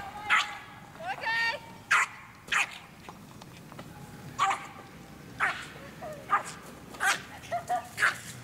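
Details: American Eskimo Dog barking in short sharp bursts, about a dozen clipped barks spread unevenly over eight seconds, with a brief whine near the start and some background voices.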